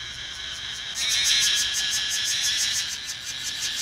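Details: A loud cicada, found at a petrol station, gives a shrill, steady buzz that swells after a second into a rapidly pulsing drone.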